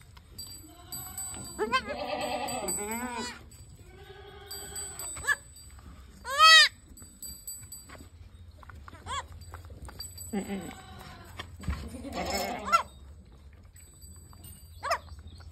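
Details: Totapuri goat, a doe with two kids, at a farm in Jaunpur, Uttar Pradesh, India; a series of shaky, nasal bleats of varied pitch, one sharp high cry midway, with faint ringing and low hum.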